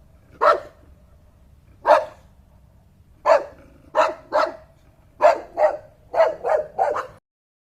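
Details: Dog barking in a series of about ten sharp, loud barks. They start well spaced, then come faster, often in quick pairs, over a quiet background.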